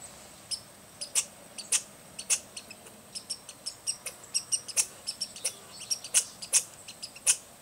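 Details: American red squirrel scolding at Rydell National Wildlife Refuge, Minnesota, on 10 August 2010: sharp, high, clicking chatter notes in uneven bursts, spaced irregularly, with a faint low hum beneath.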